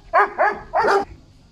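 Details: Golden Retriever Zhuangzhuang, excited and fawning on meeting an elderly woman again after several days apart: three short, bright yelping whines in quick succession, the last one longer, with a quiet background.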